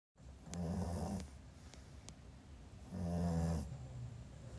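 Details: A sleeping Pekingese puppy snores indoors: two long, low, rumbling breaths, each lasting under a second, separated by a quiet pause with faint clicks.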